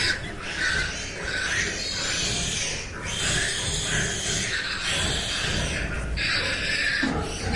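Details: Pigs on a farm, including resting sows with tiny newborn piglets that nurse with eyes still closed, grunt and squeal in a steady, noisy chorus of rough, overlapping calls.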